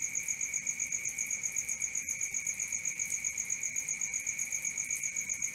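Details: Continuous night cricket chorus of sharp, high chirps pulsing around four times per second, even and unvarying, with nothing else clearly heard.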